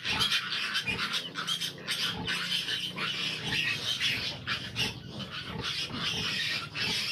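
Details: Fifteen large piglets crowd a sow that has trouble nursing them, giving a constant chorus of shrill overlapping squeals, with low grunts beneath and brief louder bursts near the start.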